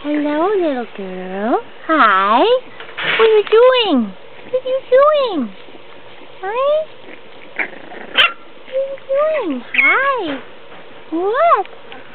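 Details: Bambi, a five-week-old French Bulldog puppy, being coaxed down a step: a string of high, arching whimpers and yelps, rising then falling, some in quick pairs, with a person's cooing, encouraging voice between them.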